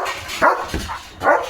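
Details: German Shepherd Leo romping through a grassy rural field with his owner; two loud, rough barks about a second apart, a softer sound between them, and steady background noise.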